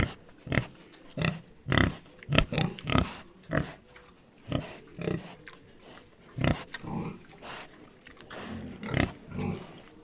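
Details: Three pigs (Sus domesticus) grunt and snort in short, low bursts, overlapping at an irregular pace.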